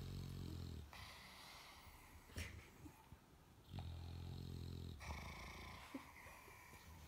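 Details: Sleeping English Bulldog using a girl as a pillow, snoring peacefully; long deep rattling snores on the in-breath alternate with hissing, airy exhales, repeating every couple of seconds.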